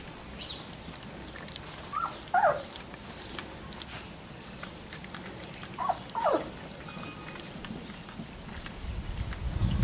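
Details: Three-week-old Labrador Retriever puppies make high, squeaky whimpers, each bending upward then dropping away, in short pairs a few quiet seconds apart over a soft, low background rumble.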